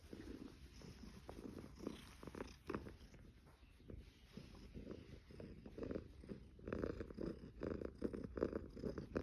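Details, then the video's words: Purring Somali cat inside a Caoyang Road apartment in Shanghai, 16 May 2016; pulsed low purr in rhythmic bursts with breathing cycles, growing louder and denser toward the end. "#cat #somali #ソマリ"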